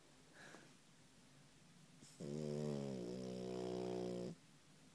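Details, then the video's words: Sleeping female French Bulldog puppy snoring: after a quiet start, a single loud, sustained rattling drone with a low steady pitch holds for about two seconds before stopping abruptly. "Snoring puppy"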